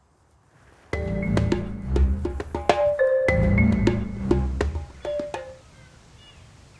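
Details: Wooden mallet percussion plays a short marimba-like phrase of struck notes over a quiet background, then fades out.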